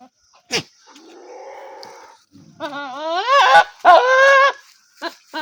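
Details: Goat bleating: after a short sharp click and a soft nasal murmur, two loud wavering bleats with rich harmonics rise and hold, the second longer and shakier, followed by brief clipped sounds.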